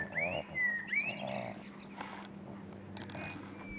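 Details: Six-week-old Boston Terrier puppies give high, thin whines that rise and fall, with several sweeping cries in the first second and a half. A fainter drawn-out whimper follows near the end over a low steady hum.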